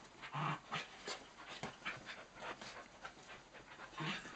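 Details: Several small dogs, miniature dachshunds and cocker spaniels, playing together indoors on a birthday; soft panting with short, low growly and whiny bursts, a louder burst near the start and another near the end, a woman praising them.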